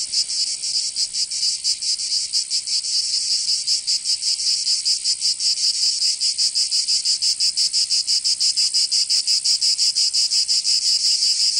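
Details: In southern France's Provence during summer, cicadas keep up a shrill, grating buzz; the pulses start loose and quicken into a tight, rapid throb toward the end, nothing else audible.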